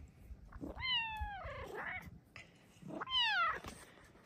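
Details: Female Bengal cat at home in the morning, meowing to ask for a blanket cat cave. Two drawn-out tonal meows, each bending downward, separated by about two seconds, with rustling between them in a quiet room.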